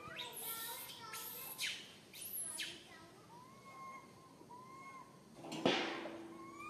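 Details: Baby monkey named Santos, alone and stuck up a high tree, calls for its mum: soft rising-and-falling whistled cries in the middle and end, broken by loud rustling, hissing bursts early and near the close.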